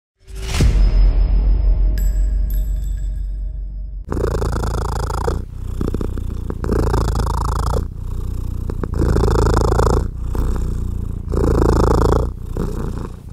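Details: Mother cat purring while nursing her tiny kittens as she tries to rest; a sharp chiming crash opens, then a loud, low, rumbling purr pulses in long surges of roughly one to one and a half seconds, broken by brief breath gaps.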